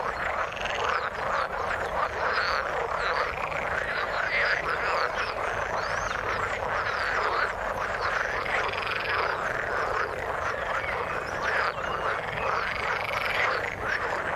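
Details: Frogs calling in the water: a dense, unbroken chorus of overlapping rattling croaks and trills, steady in loudness from start to finish, with many callers blending together.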